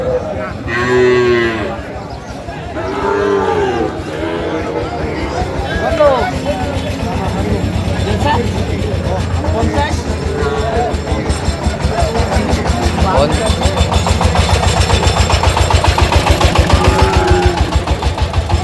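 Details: Sahiwal bull calves at the Ambari livestock market where Cumilla farmers buy cattle, 12 May 2025: a drawn-out, low, harmonic moo near the start, then further lowing under constant crowd talk, bargaining voices and a steady low rumble.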